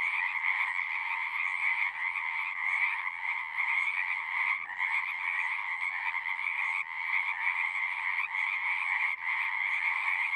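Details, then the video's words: Continuous croaking from a crowd of frogs, their rapid pulsed calls blending into a bright, two-layered trill that barely pauses, with a few short dips along the way. No other sounds are present. "One hour of singing frogs."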